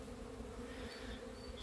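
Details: Honey bees flying in spring sunshine on 13 February 2023. A steady, low buzzing drone with a fainter higher overtone runs unbroken through the clip over a quiet outdoor background.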